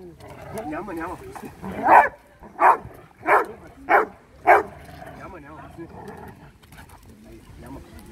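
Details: Two Labrador Retrievers recorded on 23 May 2020: five loud, gruff barks spaced about two-thirds of a second apart in the middle, with soft speech and murmuring before and after.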